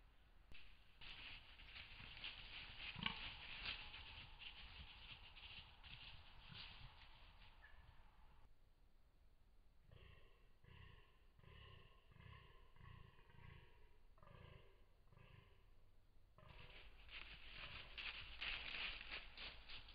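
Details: A European fallow deer, recorded by a trail camera in October 2022, gives a run of deep, belching grunts about twice a second between stretches of wind noise.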